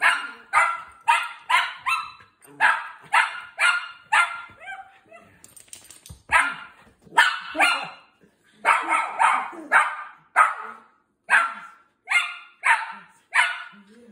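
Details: Five-month-old Miniature Schnauzer puppy scolding his owner after being left alone for four hours, barking in sharp, high yappy bursts, mostly paired or in triplets, repeated steadily with brief pauses, under light music and laughter.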